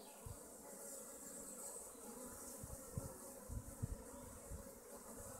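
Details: Honey bee colonies at hives in Augsburg's western district, Germany: a faint low hum swells into several short, louder buzzing passes between three and four seconds, over constant broadband hiss.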